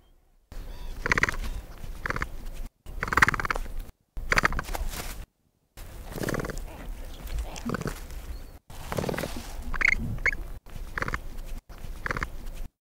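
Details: Capybara, world's largest rodent, heard in a string of separate short bursts split by abrupt silent gaps: rough grunting and huffing noises mixed with brief squeaky, nasal tones, some bursts louder and harsher than others.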